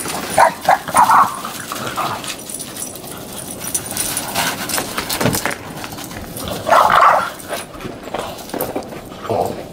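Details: Boston Terrier outdoors in snow along shoveled paths, trying to get another dog to play. Short rough barks come at the start and again near the end, over steady broadband outdoor noise.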